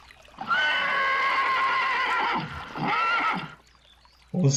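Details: A horse gives a long, steady whinny of several seconds, rich in harmonics, trailing into a shorter second phrase, then a brief noise at the end.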